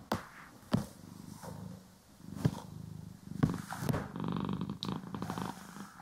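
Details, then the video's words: Cat being groomed and brushed, stereo recording; a soft low purr hums under repeated sharp clicks and brushing strokes roughly once a second, the purr swelling louder toward the end. "CAT ASMR | Purring, Grooming & Brushing"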